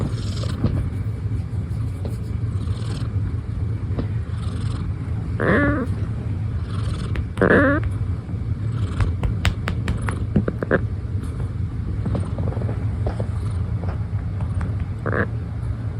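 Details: A rescued ginger tabby cat giving soft little meows: four short harmonic mews spaced a few seconds apart, over a constant low rumble like traffic, with faint clicks and taps.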